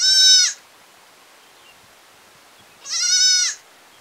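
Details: Two short, bright bleats from a village goat, about three seconds apart, each wavering and dropping in pitch as it fades; little else heard.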